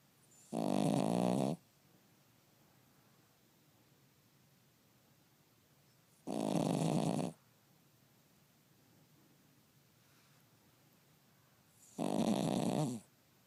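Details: Cavalier King Charles Spaniel asleep and snoring indoors, three loud rasping snores about a second long, spaced roughly every five to six seconds, with near silence between them.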